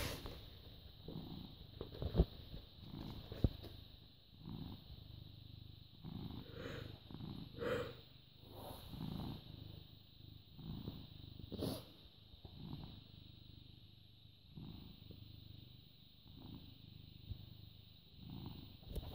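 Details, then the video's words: British Shorthair cat born August 2010, recorded indoors on 14 May 2017 at 09:16, purring in low rumbling bursts that swell and fade with each breath, broken by scattered clicks and handling noises, with a faint steady high whine behind. "British Shorthair Cat purring"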